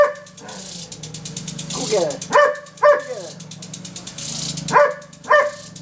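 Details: Female Irish Setter in her backyard barking at a water sprinkler she treats as an unwelcome guest: several sharp, harmonic barks in pairs, around the middle and near the end, over the steady pulsing hiss of the spraying sprinkler and faint voices.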